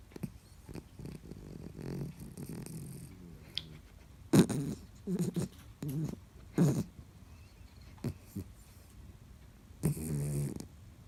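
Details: Sleeping soundly, the female Bichon Frise Byeol-i, living in China, gives low rumbling snores in rough bursts, some drawn out and others short, with quiet stretches of breathing between them.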